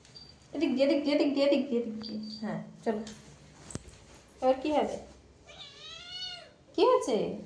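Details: Indoor domestic cat giving a long run of meows: first a drawn-out wavering cry, then shorter bent calls, then a thin clear rising-and-falling tone before a final loud meow.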